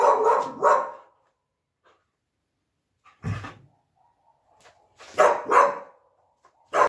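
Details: Siberian Husky at play with her plush puppy indoors gives paired loud barks at the start and again after five seconds, with a single low bark between and faint yips in a quiet room.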